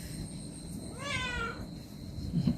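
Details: Domestic cat being massaged gives a single clear, drawn-out meow of about half a second, sliding gently downward, over a faint steady hum and low room noise.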